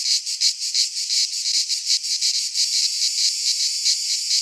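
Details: Midsummer cicada chorus from a pine forest in Greece, a dense high-pitched rasping drone throbbing in quick regular pulses, the beat uneven in the first half and smoother later.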